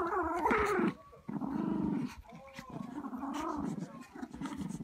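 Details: Terriers in a house playing tug of war over a toy: sustained low growling in bursts, a whiny yelp near the start, a short pause, then more rumbling growls.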